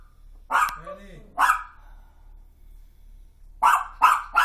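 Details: Toy fox terrier barking at night, woken at 1:26 am by a crash across the street that shook the house; five sharp, loud barks, two early then three quick ones at the end, with a brief human voice between.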